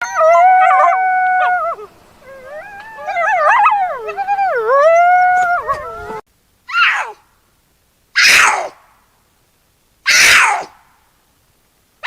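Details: Coyote at night: several overlapping wavering howls that slide up and down in pitch for about six seconds, followed by three short, harsh, rasping screeches spaced roughly two seconds apart in silence.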